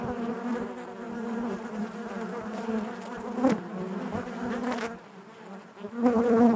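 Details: Honey bees droning inside their hive, steady layered hum that dips briefly then surges loudly near the end, with a few sharp crackles.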